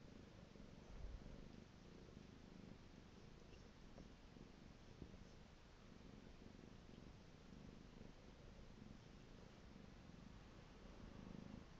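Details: A pet cat purring steadily indoors, a low continuous rumble with soft rhythmic swells through the whole stretch, quiet and close, with no other clear sounds.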